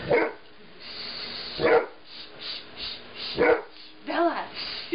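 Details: Female mastiff, unhappy while having her nails painted the day after surgery to remove a tail tumor: short whining yelps roughly every one and a half seconds over a steady background hiss.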